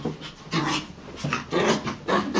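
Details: Chihuahua named Brutus, hyper and excited while chasing at night indoors, panting in rapid breathy bursts roughly every half second, with a person's voice urging him on.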